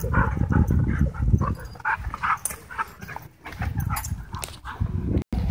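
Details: Dogs in wild play at a dog park, giving low rumbling growls and short throaty vocal bursts in an uneven stream amid scuffling, with brief breaks of quiet.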